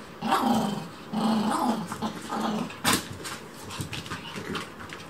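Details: A Chihuahua, a shop's mascot dog, getting in the way of cleaning at home: short, low, rough growling bursts repeated about once a second, with light household clatter and a sharp knock near the end.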